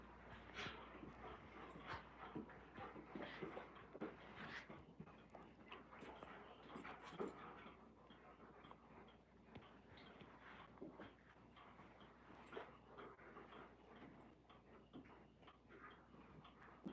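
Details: Alaskan Malamutes indoors at home on a cold night, rolling around and wrestling together: steady rapid panting, scuffling and soft whimpers through most of the stretch, with faint human voices in the room.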